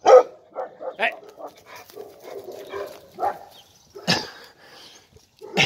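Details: A hungry 13.5-year-old female Labrador retriever in Alicante, waiting for her food, gives short, sharp barks and yips, with a person's brief "sit" commands in between.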